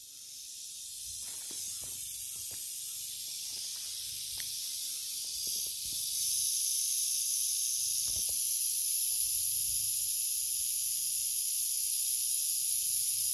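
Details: Timber rattlesnake in Arkansas, unhappy but not aggressive, giving a steady high-pitched hissing buzz that runs without a break and grows louder about halfway through, with a few faint low knocks underneath.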